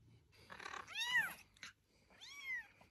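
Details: Kittens with two drawn-out, bending meows that climb and then sag in pitch, separated by a short gap, with soft rustling and handling noise around them.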